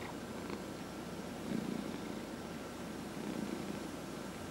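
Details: Domestic cat purring during a massage, one of four home cats: a soft, low, continuous rumble with a slightly louder swell midway, over a quiet indoor background.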